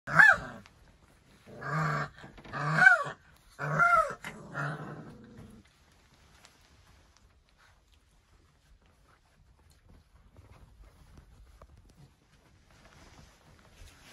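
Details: Central Asian Shepherd Dog puppies, 24 days old, born 12 December 2020, giving four short harmonic vocal bursts within the first five seconds, some arching up then down, followed by near silence with faint low rumbling.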